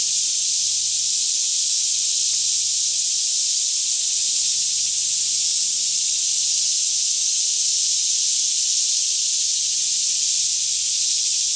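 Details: Forest cicadas near Franklin, Kentucky, chorusing on a calm mid-morning around 10am: a steady, intense high whirring sheet of sound that never pauses, layered over a quiet, faintly wavering low hum.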